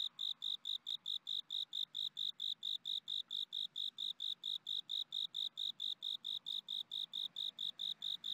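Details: Farmed crickets, including genggong crickets, chirp steadily in short shrill pulses repeated about four times a second.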